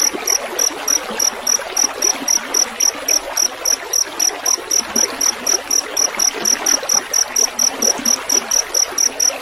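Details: Field cricket with running water, used as a tutor track for songbirds; bright, high, clipped chirps come in a brisk steady series, nearly four each second, over soft trickling water.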